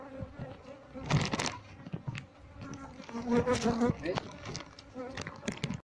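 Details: Asian honey bees (Apis cerana) from a wild colony, handled during transfer to a hive box as the queen is sought, give a continuous droning hum that swells and fades, with rustling and knocking from handling throughout.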